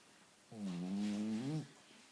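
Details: Pet Cavalier King Charles Spaniel Annie giving one drawn-out, buzzy, low snore lasting about a second, slightly wavering in pitch, then quiet room tone.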